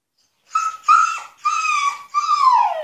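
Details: Husky locked in an enclosure as punishment, demanding freedom: four short, high, nasal whining yelps in quick succession, the last one sliding downward.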